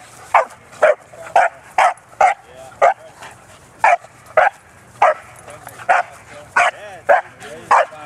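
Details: At a dog park, 11-month-old Bernese Mountain Dog Bearne at play, giving a fast, insistent series of about fourteen loud, punchy barks with brief whiny tones between some of them.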